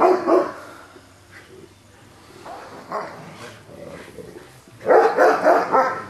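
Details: An old dog barks at a young pup that keeps jumping around him, hackles raised. Irregular rough barks at the start, middle and a loud cluster near the end.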